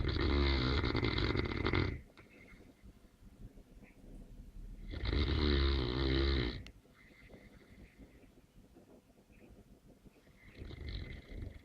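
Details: Deep, raspy snores from a sleeping Neapolitan Mastiff come in long rumbling bursts about two seconds each, separated by several seconds of quiet, airy breathing, with a third snore beginning at the close.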